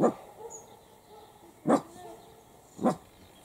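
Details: Italian Greyhound puppies, seven weeks old, at play in an outdoor enclosure. Three short, sharp yaps, spaced roughly a second apart, stand out against a quiet background with faint squeaks.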